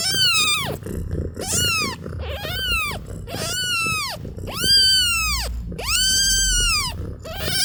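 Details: Sleepy kittens give six high, arching meows in under eight seconds, each rising then dropping away, some drawn out, over a low rumbling background.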